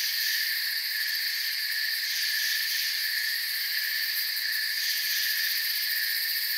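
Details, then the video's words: Crickets chirping in a calm forest at night, a steady, unbroken high trilling chorus layered in several shrill bands, even in loudness throughout, with no other clear sounds. "Forest Sounds and Crickets"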